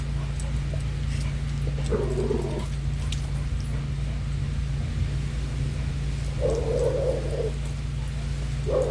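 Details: Dog during a short play session, giving a few drawn-out, nasal whining notes spaced several seconds apart over a constant low mechanical hum.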